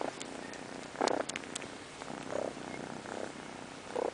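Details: Purring kitty settling down to go to sleep, a soft continuous rumble under a hissy background, with a few brief brighter bursts around the first and second seconds and near the end.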